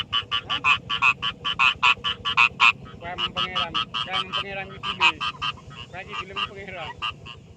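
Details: Rice field frogs calling by day in a fast, dense run of croaks, several per second at first, then a looser, overlapping chorus of fainter croaks against a constant background hum.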